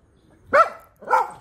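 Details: Siberian Husky being groomed with a grooming mitt, giving two short harmonic vocal yelps about half a second apart, each with a bright rising-then-falling tone, the second slightly softer, against a quiet background.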